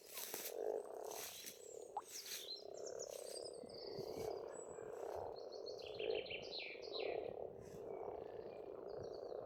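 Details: Frogs in spring at a pond in rural Estonia: a dense, continuous chorus of low rattling croaks forming a steady purring band, with birds singing high, varied phrases overhead throughout.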